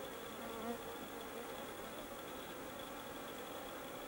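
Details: Busy leafcutter bees at a solitary bee house: a continuous droning buzz with brief wavering tones rising and falling early on, set against a steady high-pitched whine and even background hiss.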